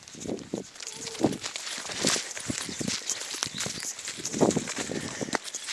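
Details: A Griffon Bleu de Gascogne gives short, hoarse barks while trailing a wild boar.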